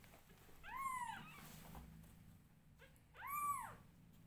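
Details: Loud meows from newborn domestic kittens being groomed by their mother. Two strong, bowed, harmonic mews about two and a half seconds apart, each rising then falling, with faint shuffling between them.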